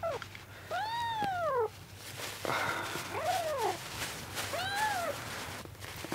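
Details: Rescued kittens, found soaking wet on a road and on their second day in care, meow while competing for milk indoors; three drawn-out, arching meows, each rising then falling, with a brief pause between them.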